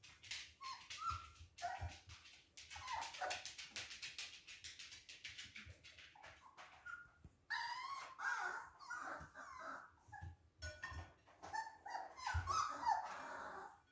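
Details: Several Siberian Husky puppies at play; continual squealing whines, yips and small barks tumbling over one another, louder toward the end, with scuffling noises.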